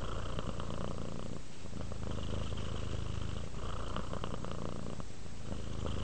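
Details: Domestic cat named Rudolph purring while relaxing toward sleep: a steady low rumbling purr with pulses running continuously, breaking into a fresh breath cycle roughly every two seconds, with brief pauses between inhale and exhale.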